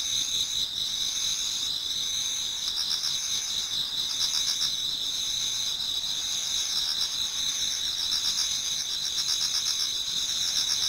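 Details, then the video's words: Autumn insect chorus in a garden in Japan as dawn approaches: two bright, sustained high-pitched ringing tones overlaid by rapid pulsed trills, with faint intermittent rattles beneath, unbroken for the whole stretch. "Autumn Insects voice Towards dawn"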